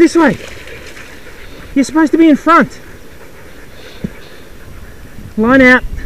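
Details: Racing sled dogs in a 6-dog heat, South Australia, 2012. They give short, sharply bending yelps and whines in quick clusters: one at the start, three together near two seconds, and a final wavering cry near the end, over quiet background.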